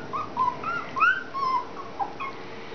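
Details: Collie puppies of an E litter, 30 January 2013, at their first real meal; high thin whimpers sliding up and down, a string of short whines spread over about three seconds, with no other clear sounds.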